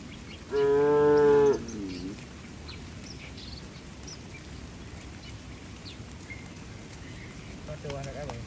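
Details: A tame cow in a herd running toward the barn during rain under bright skies gives a single loud, harmonic moo of about one second that sags in pitch at the end, followed by quiet with faint background bird chirps.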